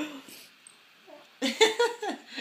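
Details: Riley, a pet Siberian husky, freshly groomed and affectionate toward a housemate indoors, gives a short burst of whiny, wavering vocal tones after a near-silent second, rising and falling in quick pulses, with a person's voice nearby.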